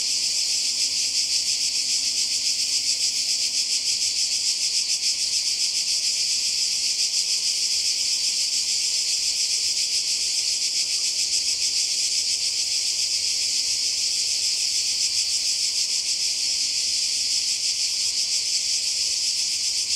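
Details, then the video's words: Cicadas fill the air with a steady, high-pitched, shimmering buzz that never lets up, recorded by the sea in Croatia during summer 2020. "Kroatien Zikaden und Meer (sound)"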